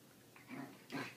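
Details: A Lhasa Apso puppy about 2 months old gives two quick, breathy, whimpering yelps in an echoing bathroom.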